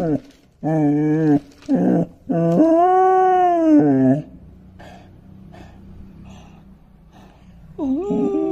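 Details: Five-month-old long-coated male German Shepherd puppy howling indoors: several drawn-out, arching tonal wails with rich harmonics over four seconds, a quiet pause with faint background hum, then another rising wail begins near the end.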